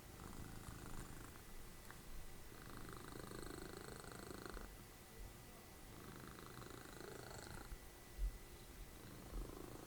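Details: Low, continuous rumbling snore from Dessie, a pet cat, mother of Fritjof, dozing and cuddling indoors as television plays; broadcast speech rises and falls over the rough drone, with a soft thump near the end.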